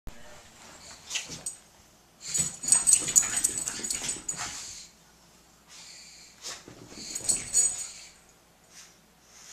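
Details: A Jack Russell Terrier and a French Bulldog at play: bursts of hissy, wheezing snorts and panting in clumps of one to two seconds, separated by quiet pauses.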